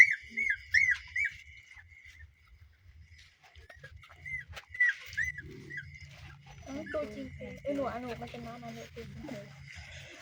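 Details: Newborn puppies kept at home, giving rapid high-pitched squeaks and whines in short bursts during the first seconds and again mid-way, followed by people talking in Khmer.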